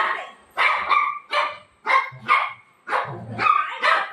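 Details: Golden retriever dog at night before sleep, playing with its owner; a run of short, sharp barks in quick pairs and singles with brief pauses between them, plus a faint low voice underneath.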